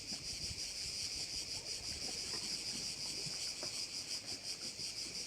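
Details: Quieter, more distant cricket chorus at a Korčula bay in Croatia: a thin, high, rhythmically pulsing buzz, about three pulses a second, over a faint low background hum.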